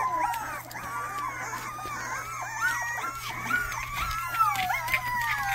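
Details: A young Rottweiler pup tries out its first barks in a small room. Reedy, high yelps bend up and then down, spaced irregularly and mixed with drawn-out whimpers over a constant low hum.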